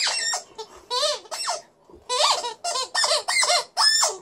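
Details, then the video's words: Liza, a female Alaskan Malamute in a good mood, puts on a little vocal show indoors: a run of short, bending, harmonic yodels and woos, rising and falling, about seven in four seconds with brief pauses between. "Alaskan Malamute is howling and then squeaking with her toy"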